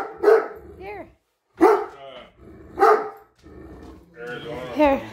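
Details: Great Dane that dislikes a measuring tape gives three loud, separate barks a little over a second apart, with a woman's voice speaking between them and a whiny vocal sound at the close.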